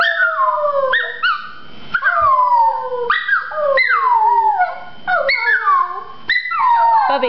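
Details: Shasta, a Chihuahua, howls and chirps as her owners encourage her, delivering a series of short descending wails, each starting with a sharp upward chirp and sliding down, repeated roughly every second.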